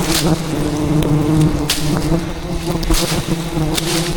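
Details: Thousands of aggressive wild bees swarming a honey hunter at a giant hive hidden in dense rainforest branches; loud continuous buzzing hum, layered and wavering, with occasional sharp taps.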